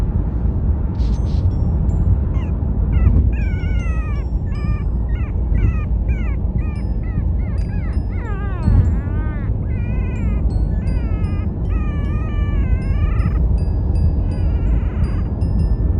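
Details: A Chihuahua puppy on the day it is brought home whines in short, high, arching notes, repeated rapidly, over a steady low rumble, wanting to be held during the car ride home.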